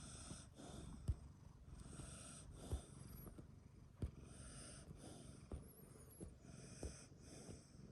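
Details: Sleeping pet dog snoring beside a cat it lives with, low rumbling breaths with sharper snorting pulses about every one and a half seconds over a steady hum.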